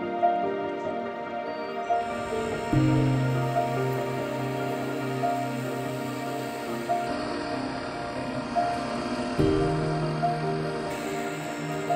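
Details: Calm ambient music of layered tones and a faint high steady whine, with no audible animal calls.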